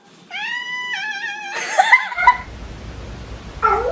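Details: Talking domestic cat, one of a compilation of chatty cats: a long flat meow with clear harmonics, then a shorter rising meow and a broken vocal burst, followed by a faint short mew; an owner asks whether it is hungry.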